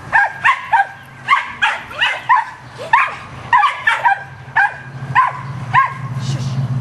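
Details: Rat terriers hunting squirrels give rapid, sharp barks, often in pairs and triplets at about 100 a minute, each bark bending down in pitch; a low engine-like hum runs underneath and swells toward the end.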